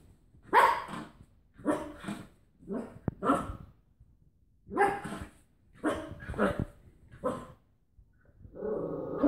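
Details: Cocker Spaniel wrestling a washing tablet carton, making muffled, breathy barks in uneven bursts, with a sharp click partway through and a low, sustained growling rumble at the close.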